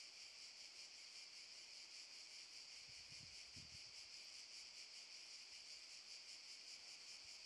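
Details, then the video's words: Summer cicada chorus in Park Šuma Musapstan, Zadar, August 2014: an unbroken, even high-pitched hiss-like drone with gentle pulsing, and a brief low thump midway. "Cicadas chirping"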